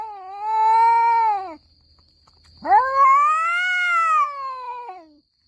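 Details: Orange domestic cats squaring off in a fight, two drawn-out yowls in turn: a wavering howl that sags and breaks off, a brief pause, then a sharply rising, louder wail that swells and slowly falls away.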